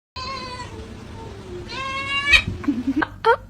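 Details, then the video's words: Cat making strange noises: a long, drawn-out harmonic meow that slides slowly downward, then a sharp burst and a few short, rough chirping calls near the end, over a low background hum. "Cats make strange noises"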